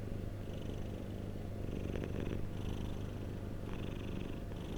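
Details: Domestic cat purring close up, a dense low rumble with gentle rhythmic breathing swells and a couple of brief soft clicks in the middle.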